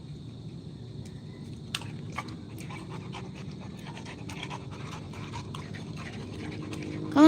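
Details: Rottweiler panting in quick, airy bursts that grow more frequent after the first couple of seconds, with a person calling to the dog nearby and a louder sound breaking in at the very end.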